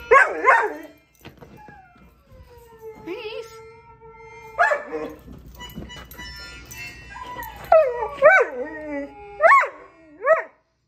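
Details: A pet dog watching a show and answering the dogs on the screen with talk-like vocal sounds: wavering, pitch-bending howls and yowls in short bursts, with tonal music from the show and a little human speech.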